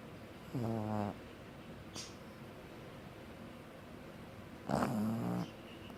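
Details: Sleeping pug snoring in two separate bursts several seconds apart, each a short nasal, buzzy snort with layered harmonics, with a faint click between and quiet room hiss.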